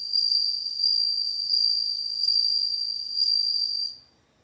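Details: Bell cricket song: a pure, high ringing trill held steady for about four seconds with slight swells in loudness, then stopping abruptly into silence.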